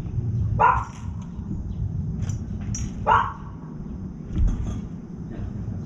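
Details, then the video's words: A dog near a balcony feeding spot gives two sharp, mid-pitched barks about two and a half seconds apart, then a softer third, over a steady low rumble, while a young crow keeps eating. "강아지 짓는 소리"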